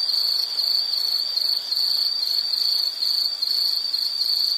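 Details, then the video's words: Shrill insect trill, its pulses bunched into quick bursts about every half second. A constant high ringing with a faint hiss underneath, no other animals heard. "Sound · Nature Sound of nature sounds scenery L · insect"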